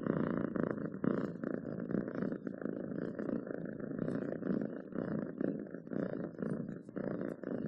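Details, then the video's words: Cat purring contentedly, a soft, steady growling hum made of rapid pulses, swelling and easing with each breath across several cycles, nothing else audible. "7 minutes of Cats Purring to make your day better!"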